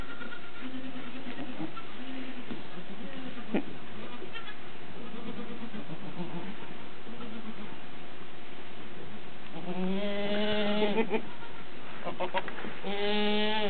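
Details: Alpine goats around a newborn kid suckling for the first time; after faint, muffled bleats, two clear, quavering bleats rise near the end over a constant low background hum.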